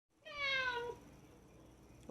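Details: Gokki, a male street-born domestic cat born in 2015, talks back with a single clear meow, loud and falling in pitch, under about a second long, rich in overtones, then quiet room tone.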